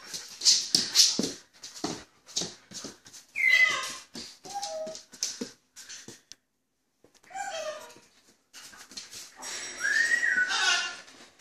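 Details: Australian Shepherd named Buster, playing and romping indoors on 25-10-2016, gives thin, high whimpers that slide downward. The whines come in short bursts amid rustling, clicking play noises, with a brief quiet pause midway.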